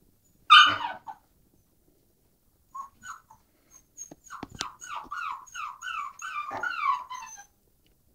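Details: Puppy tumbling downstairs gives one sharp cry, then a run of quick, falling whimpers repeated about twice a second. A person's voice comes just after.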